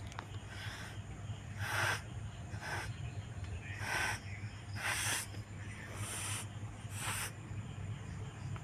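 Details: Repeated cat hisses: about seven harsh, airy bursts in under nine seconds, each a broad rush of noise lasting a fraction of a second, over a constant low background hum.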